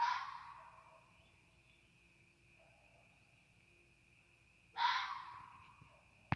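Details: A coyote (Canis latrans) on the roof of a car, heard from a deck in Canada, gives two harsh, raspy bursts a few seconds apart over a faint steady whine.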